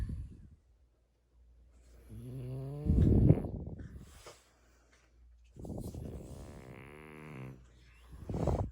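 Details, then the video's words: French Bulldog named Mungchi, asleep and tickled on the paws, answers with low drawn-out groaning grumbles with a snorting edge, one around three seconds and a longer one near six to seven seconds, in a quiet room. "자고있는강아지 간지럽히깈ㅋㅋ"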